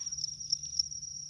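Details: Field cricket calling in a rice field: a steady, high, shrill trill with a fast pulsing texture and faint swells, continuous throughout, over a low background hum.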